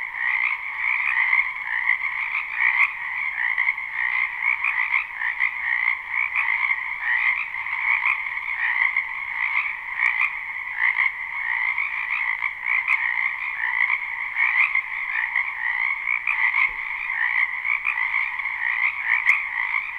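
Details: Many frogs in a spring wetland behind a house croak together in a live recording with no looping; the massed trilling stays even and dense across twenty seconds, paired bands of pitch, occasional brief ticks.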